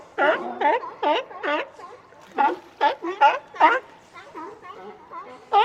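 A sea lion gives a run of hoarse, honking barks, each brief and rich, coming about twice a second.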